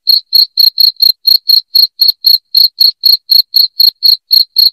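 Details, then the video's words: Cricket chirping, loud and steady, played to scare rats away indoors. Short ringing pulses repeat at a quick, regular pace of roughly four per second, with no other sounds around them. "SUARA JANGKRIK NYARING"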